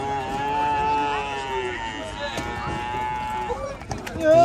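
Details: A young bull at a market moos in long, steady, harmonic tones, lasting about three seconds, while people talk in the background.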